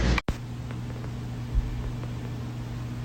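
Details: A steady low mechanical hum, like a fan or motor, runs throughout after a brief click, with no animal voice.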